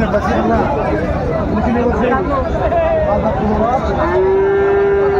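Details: Bull calves, Friesian and crossbreeds, at the Raniganj market in Dinajpur, Bangladesh, on 10 February 2025: a steady, even-pitched moo held for about a second near the end, amid busy market talk and crowd noise.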